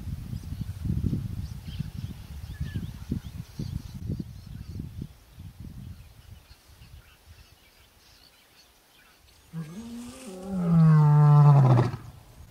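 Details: Male lion Buddy, one of the Orpen Males, calling out for the females of the Koppies Pride: low rumbling background noise for several seconds, then a single loud, deep roar that slides downward in pitch near the end.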